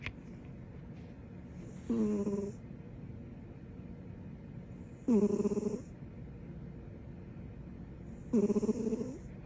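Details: Female dog asleep with her tongue out, snoring: three rattling harmonic snores spaced about three seconds apart, each lasting about half a second, with quiet breathing in between.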